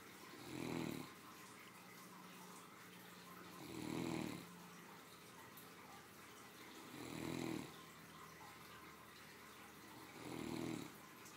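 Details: A spoiled three-year-old Great Dane bitch asleep after her midday meal, snoring in a steady rhythm: four coarse, buzzing breaths roughly every three seconds, with a faint low hum between them.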